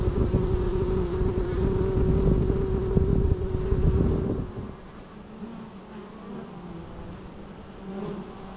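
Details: Loud, even bee drone for the first four seconds, then a sudden drop to softer, wavering hums as the insects move away.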